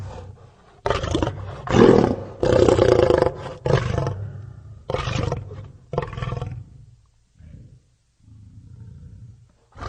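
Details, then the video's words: Lion roaring in a series of loud, coarse bursts, several close together then spaced out, trailing off into soft low grumbles at the end. "lion sounds"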